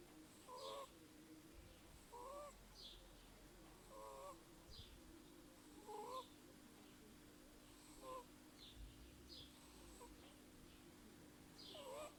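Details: Snoring from Kira, a Burmese kitten aged 8 weeks: a regular series of short whistling squeaks with breathy hisses, about every two seconds, over a low electrical-sounding hum.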